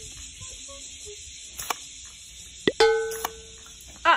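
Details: Short electronic tones, a plop and chiming notes with faint speech, no animal calls heard.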